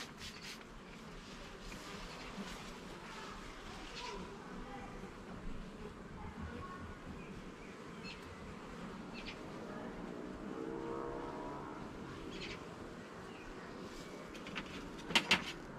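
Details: Honey bees buzzing at a garden hive while it is opened and its levels and frames are inspected; a steady low drone with wavering, rising and falling tones as individual bees fly past, and a few faint clicks and knocks from handling.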